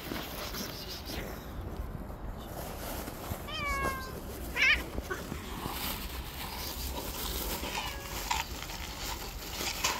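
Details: On the street, a white cat slaps at other cats that approach her. A clear harmonic meow bends downward around the midpoint, with a sharp hiss-like burst just after. A fainter meow comes later over low outdoor background noise.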